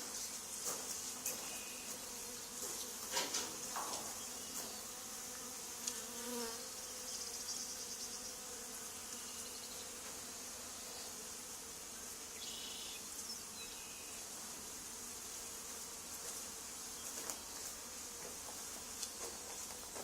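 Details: Honey bee swarm on the wall of an old barn from which a hive had been removed two days earlier. A constant, airy buzz of many bees runs the whole time, with scattered knocks and clinks from the removal work.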